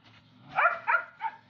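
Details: Belgian Malinois giving short, high, nasal whining yelps, three quick bursts within about a second over a low murmur.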